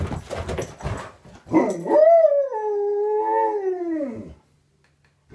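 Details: Pet Alaskan Malamute indoors, coming upstairs to greet its owner in the morning: after some rustling and thumps, one long drawn-out harmonic howl holds steady with a slight wavering pitch, then falls away and stops.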